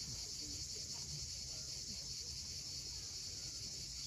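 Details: Continuous shrill whirring of cicadas at sunset over the steep Crimean coast at Cape Fiolent, unchanging in loudness, with soft low surf rumbling in the background.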